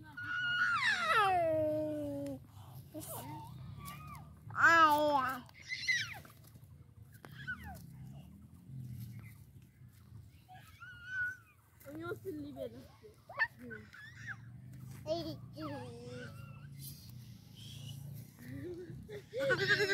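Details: Baby goat kid playing with a human baby, giving loud wavering bleats that fall in pitch, clustered near the start and around five seconds, with child babbling and voices filling the quieter gaps.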